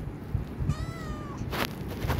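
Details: Himalayan cat named Pinky meowing while urging for food, one rising-then-falling tonal meow lasting about half a second, with steady low background hum and brief noisy bursts afterward.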